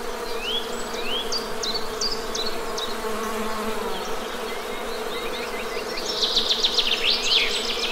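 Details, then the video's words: Steady, even hum of honey bees throughout, overlaid by short upslurred bird whistles early on and a dense burst of bird chatter toward the close. "Best Honey Bee Sound!"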